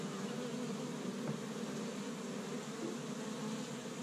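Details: Many honey bees buzzing around an established hive in Michigan on the first warm spring day; a constant low, rough droning hum with slight swells.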